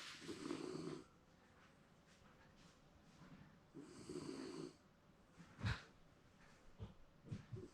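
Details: Napping Shiba Inu dog at home giving two rough, low snores, each near a second long, a few seconds apart, followed by short snorts and rustling sounds indoors.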